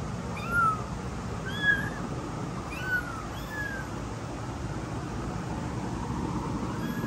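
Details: Frightened newborn kittens, born 15 September 2022, give thin, high-pitched meows that bend up and then down. About four cries come in the first four seconds, then it goes quieter, over a steady low rumble like traffic.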